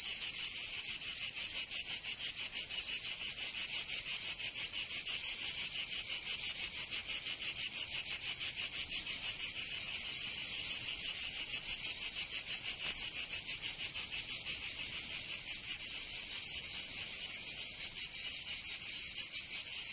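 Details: Summer cicadas of Provence, southern France, droning in a high, harsh, rapidly throbbing buzz that holds steady and then slightly loosens its rhythm toward the end.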